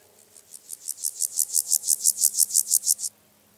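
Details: Water-meadow grasshopper at Andechs, Germany, 21 September 2018, captured via ultrasound detector: one high, scratchy song phrase of roughly fifteen pulses, swelling in loudness over three seconds and stopping abruptly.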